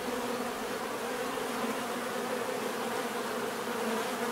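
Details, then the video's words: Constant thick buzzing of many bees, an unbroken droning hum with layered tones and no pauses, even in loudness across the short stretch. "bees therapy relaxing natural buzzing sound"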